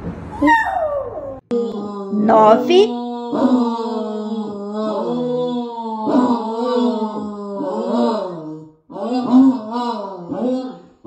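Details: Domestic dog howling loudly, one of ten dogs shown; a brief different sound opens, then long, sustained, wavering tones with sliding pitch bends, repeated in drawn-out phrases of one to two seconds, with a short break near nine seconds.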